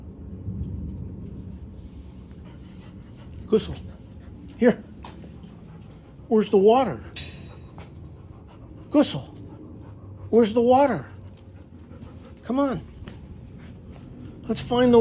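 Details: Gustl, a Deutsch Drahthaar puppy, during the third week of training on the bench. Brief scattered clicks and taps are broken by short, high, bending yelps, with a doubled whimper near the middle and another near the end.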